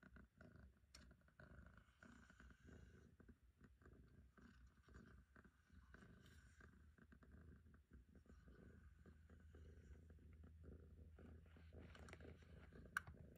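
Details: Long-haired female house cat purring contentedly while being brushed on a person's lap indoors; a low, steady rumbling purr runs throughout, mixed with soft brushing and rustling noises and a sharp click near the end.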